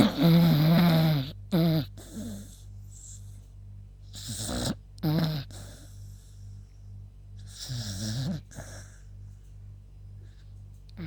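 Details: Beagle named Yuta snoring in her sleep, tired after a walk; loud, rough snorts come in uneven bursts, with a strong first stretch and then shorter rasping breaths a few seconds apart over a low steady hum.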